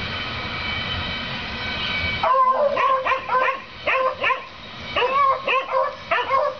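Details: Neighbours' dogs barking at their rabbit on 7 April 2014, a daily occurrence; a steady droning hum with tonal bands fills the first two seconds, then a run of sharp barks repeats in quick bursts.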